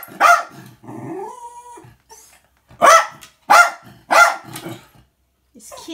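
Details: Jack Russell Terrier tattling on the cat at home: a bark, then a person's drawn-out voice, then three evenly spaced sharp barks and faint talk.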